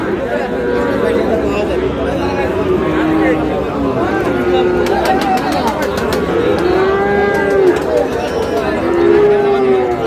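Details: Sahiwal breed bull calves at a busy cattle market, with several short, slightly rising and falling moos spread across ten seconds. Crowd chatter and bargaining voices run beneath the lowing throughout.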